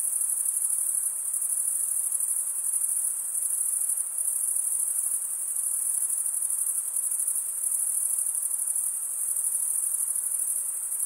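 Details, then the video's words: A continuous chorus of chirping crickets produced by wing stridulation: a bright, piercing trill held at a very high pitch, softly pulsating in intensity, nothing else audible behind it. "Most relaxing cricket sound for 8 hours"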